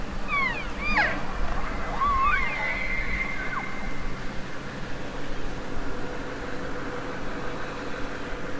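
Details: Elk bugling: sharp upswept whistles and looping squeals in the opening three seconds, then a faint steady tone trailing off over low background rumble.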